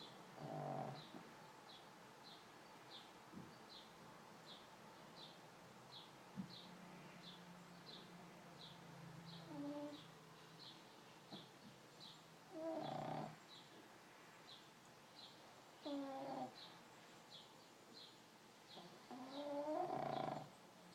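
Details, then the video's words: Sleeping pug snoring: rough, breathy bursts every few seconds, some carrying a wavering whistled tone, with quiet pauses between breaths; a faint, steady high ticking runs throughout. "Snoring pug"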